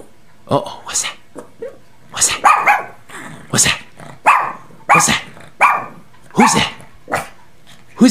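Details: Pet dog Bailey, just woken from an afternoon nap, barks in loud sharp bursts, sometimes doubled, at a noise he has heard, while a man's excited voice keeps talking over and between the barks indoors.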